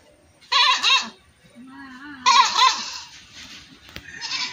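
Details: Two shaky goat bleats about two seconds apart, with a low steady hum between them and a sharp click near the end.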